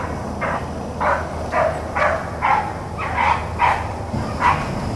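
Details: Blackcreek and Bluetick rabbit hounds on the run, April 4, 2013: eight distinct, evenly spaced bays, each a short ringing note about every half second, over low rumbling noise.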